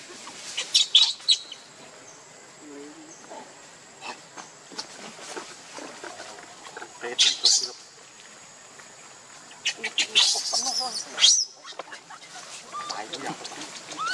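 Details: Baby monkey named Leo, with its mother, crying in pitiful high squeals: bursts of shrill, piercing wails near one second, seven seconds and ten to eleven seconds, between quieter stretches with faint rustling and scattered clicks.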